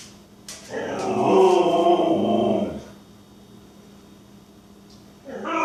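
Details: Siberian Husky voicing jealousy with Chewbacca-style noises: a long warbling, moaning howl-like groan of about two seconds, then quiet, and another groan starting at the very end.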